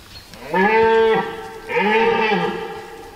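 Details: A red deer stag bellows in a forest during the rut. Two drawn-out, strongly tonal roars, each under a second long, rise then fall slightly, with a short pause between them.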